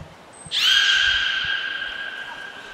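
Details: Beluga named Niko during a training session at Port of Nagoya Public Aquarium, 25 February 2024: a brief high trainer's whistle, then a loud, sustained buzzy harmonic call lasting about two seconds and fading slowly.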